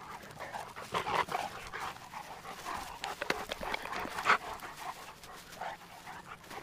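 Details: Two Cane Corso dogs named Tucker and Nessa at play, Numenor Kennels; loud, quick, airy panting with brief louder huffs and light handling noise between breaths.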